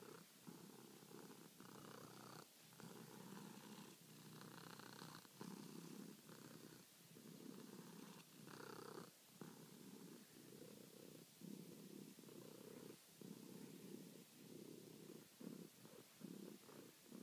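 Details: Domestic cat at night wanting to be petted, kneading; continuous rumbling purr broken into rhythmic pulses about every second as it alternates breathing in and out, with faint higher tones above, steady throughout.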